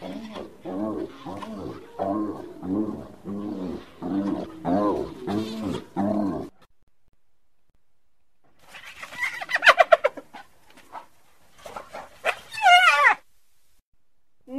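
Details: Hyena cackling in rapid, evenly spaced harmonic pulses for about six seconds. After a silence come scattered higher, squealing bursts.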